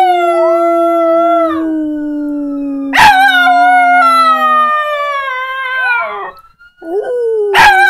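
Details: Jack Chi dog, indoor pet, howling in reaction to a siren sound: long sustained tonal howls slowly falling in pitch, overlapping a steady siren tone, with two sharp broadband bursts and a brief break near the end.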